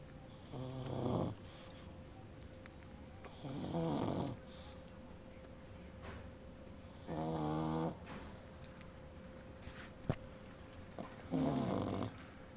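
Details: A 16-day-old pug puppy dreams while its mother snores: four throaty, rattling snores, each a short buzzy breath about three to four seconds apart, over a faint electrical hum in a quiet room.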